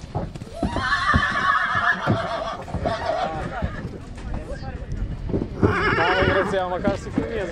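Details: A mare at Satu Mare whinnies twice, with a long wavering neigh early on and another shaky, trembling one near the end. There is speech in between and some hoof clatter.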